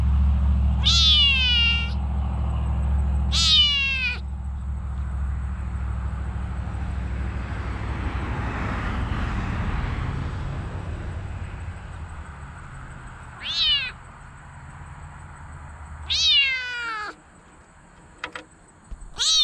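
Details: Female mink Bengal kitten meowing in short bursts: two insistent cries early on, then a long stretch of loud low rumbling noise, followed by three more quick meows near the end.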